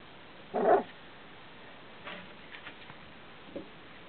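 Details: Welsh Springer Spaniel puppies, 18 days old, starting to walk and yap: one short, rough, squeaky bark, followed by faint scratchy sounds and a tiny squeak near the end.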